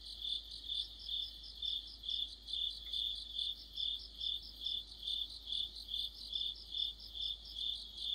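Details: Crickets singing in the middle of autumn as part of an insect chorus: high, ringing chirps repeated about twice a second in a steady pulsing rhythm, with a fainter overlapping trill behind and no other clear sounds.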